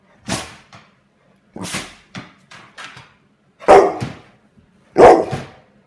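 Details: Dog angered by a fidget spinner, giving a run of sharp barks and shorter yips, irregularly spaced, the last two louder and rougher.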